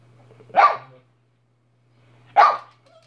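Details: Two single loud barks from Minnie, a dog, spaced nearly two seconds apart, each short and harsh over a faint constant low hum.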